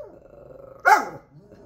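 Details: Active pet dog barking at a supposed cat outside after its owner's prompting; quiet background, then one short, forceful bark with a rough, slightly growly quality that quickly fades.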